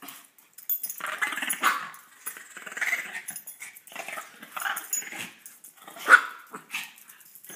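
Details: Dogs vying for dominance, competing to claim each other; scattered throaty growls with a few short barks, one sharp loud yelp-like bark near the end, quieter gaps between bursts.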